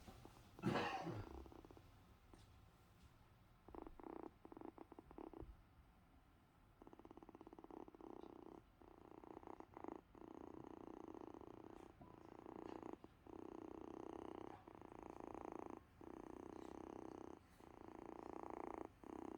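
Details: Sick kitten named Invincible Vince purring on a couch, a low rumbling purr broken into irregular bursts with short pauses, plus a brief louder noise near the start.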